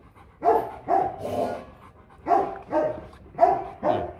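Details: Rottweiler guard dog giving deep, powerful barks, six loud woofs in quick pairs with short gaps, quiet between.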